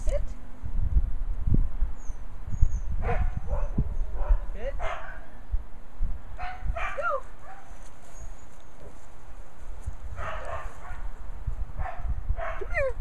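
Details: Angela, a puppy born March 13, 2014 to kennel dogs Shasta and Xerxes, gives short high rising yips and squeaky whines in scattered bursts, with people talking and low background rumble throughout.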